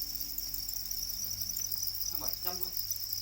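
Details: Black crickets, the domesticated kind known as para crickets, give a continuous shrill trill that holds an even high pitch from start to finish, with a low hum underneath and a brief murmur of voices near the end.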